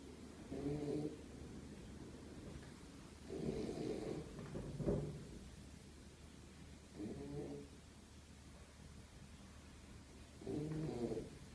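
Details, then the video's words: A sleeping Beagle named Zion snores steadily, each low rumbling snore lasting under a second, recurring every three seconds or so in a quiet room with a faint constant hum. "ビーグル犬 ジオン ひたすらいびきをかく"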